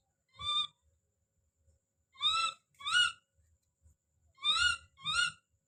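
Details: Baby monkey named Don screaming as he calls out: five shrill, arched, harmonic cries, one alone, then two pairs with gaps of about a second and a half, over a quiet background.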